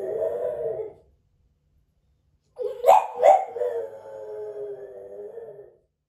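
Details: French Bulldog Moto-Moto, left alone indoors and recorded by a hidden camera, finishes one howl. After a pause it starts another, broken by two sharp yelps, then trails into a long, steady, wavering note.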